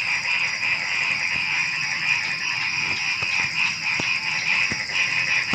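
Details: Frogs calling at night shortly before dawn, a dense pulsing chorus of many callers mixed with a steady high shrill of crickets, plus a few sharp clicks scattered through the recording.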